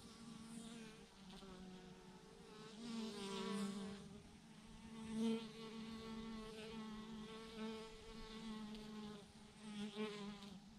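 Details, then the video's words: Massive clump of thousands of bees hanging from a branch, humming in a continuous deep drone with rich overtones, swelling and easing every few seconds without any break. "thousands of BEES hanging on a branch in a massive clump"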